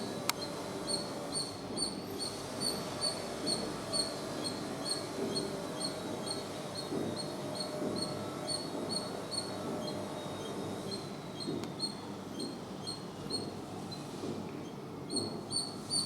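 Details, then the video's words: Chattering squirrel: a long series of quick, high chirps, about one a second, briefly pausing before resuming, over constant low background noise. "Squirrel Sounds Squirrel Chatter Squirrel Noise making Sound"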